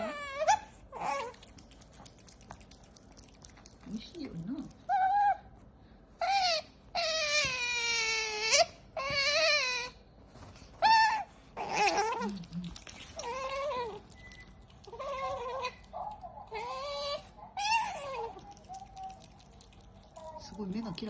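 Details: Pet otter Qoo, a female, eating her favourite fish while making noise: high, squeaky whines and drawn-out falling squeals in short bursts, some long and harmonic-rich, broken by chewing pauses, with a man speaking Japanese softly between calls.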